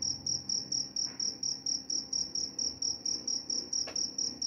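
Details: Cricket calls: a high, ringing chirp pulsing roughly four times a second without pause, with two brief soft clicks in the quiet background.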